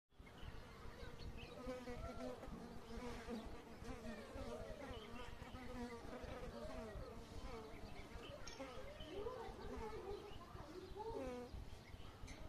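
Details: Asian honey bees (Apis cerana) in Kashmir at the start of a new season, recorded 10 February 2022: a steady low hum runs throughout while many faint chirping bird notes sound in the background.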